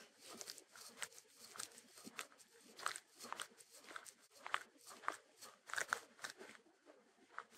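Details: A Shetland Sheepdog (Sheltie) eating, recorded close up indoors without music: soft, irregular crunching and chewing clicks over a low background hiss.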